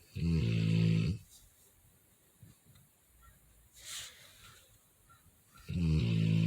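A sleeping Rottweiler gives loud, low, rattling snores on the in-breath, about five seconds apart. Between them there is only soft breathing and faint room noise.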